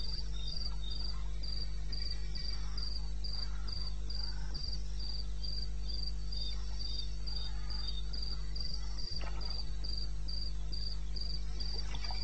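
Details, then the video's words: Cricket calling in the wilderness of eastern Botswana at 2:30 in the morning in May: a steady run of short high chirps repeated about three times a second, over a constant low hum and faint scattered clicks. "1 Hour cricket sound-Africa-No loop-Real recording."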